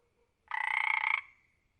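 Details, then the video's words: One frog croak of about three quarters of a second, a fast buzzing rattle of many pulses with a steady ringing tone, fading into silence. "Frog sound effect"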